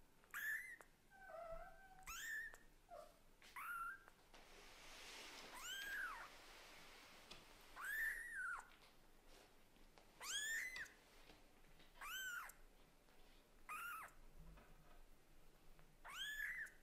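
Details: Young cat born to Lulu, a Scottish Fold, and Leo, a British Shorthair, meowing persistently at its mother: high, sharply rising and falling mews repeated every second or two, with a few lower, softer cries and faint rustling between.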